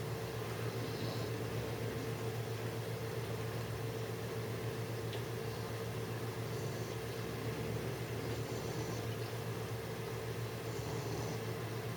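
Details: A steady mechanical hum with low droning tones and broadband hiss, like an indoor fan or appliance.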